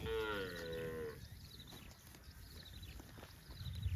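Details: Cow roaming in the fields, giving one clear harmonic moo of about a second that sags slightly and then holds level before breaking off. Quieter outdoor rumble and rustling follow.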